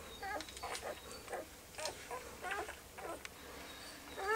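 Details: Puppies whimper in short, upward-bending squeaks, several in quick succession, about one every second or two, over a faint background hiss.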